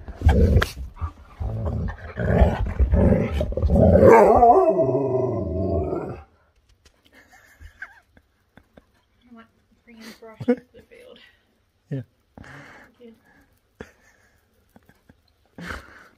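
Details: Siberian Husky eager to get outside and play, giving a loud, wavering, howl-like vocalization that bends up and down in pitch for about six seconds, followed by quieter scattered yips, clicks and soft noises.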